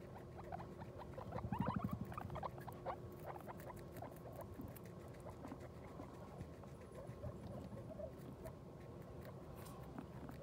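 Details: Guinea pig that has just given birth to New Year's babies, making a quiet, rapid low patter of soft chuttering notes, with a brief louder burst of squeaky harmonic calls near the start, then steady murmuring until the end.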